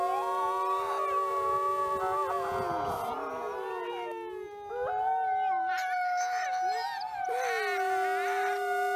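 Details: Critically endangered Mexican gray wolves, several captive animals at the Wolf Conservation Center, howling in their den on a windy day: long overlapping sustained howls at different pitches, some sliding up or down, forming a continuous chorus.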